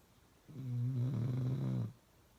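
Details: Loud snoring from Uno, a pet dog: a single sustained low, buzzy snore lasting under one and a half seconds, steady and rumbling, with the room otherwise quiet.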